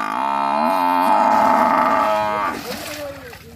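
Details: A single sustained buffalo bellow, steady and harmonic for about two and a half seconds, then breaking into a falling, rougher tail that fades away.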